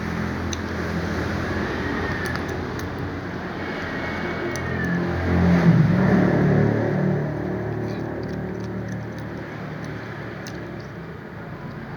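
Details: A low, droning vehicle engine fills the recording, swelling briefly as it passes. No animal calls stand out above the traffic noise.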